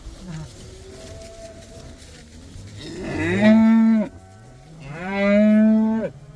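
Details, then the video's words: Cows let out for the first time, calling excitedly: two loud, full-throated moos about two seconds apart, each swelling and holding steady before cutting off, over faint herd sounds. "These cows are allowed to go outside for the first time! They love that!!"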